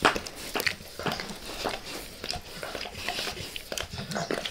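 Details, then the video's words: Max the dog licking his owner's face indoors in a small room, close-up ASMR recording with no talking: wet, smacking tongue-on-skin sounds in irregular bursts with soft crackly clicks. "Max Licks | Face Part Deux | ASMR DOG LICKING"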